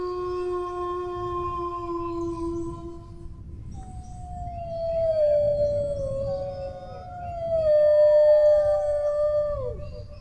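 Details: Dog howling: a low, steady held note fades out, then higher, wavering, overlapping howls slide downward and swell loudly, giving a chorus-like, mournful effect over a faint rumble.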